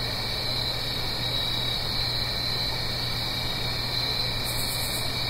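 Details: Blue Ridge Mountains crickets on an autumn night near a stream: a constant high trilling chorus, with a short, very high pulsed buzz near the end, all over soft continuous rushing background noise.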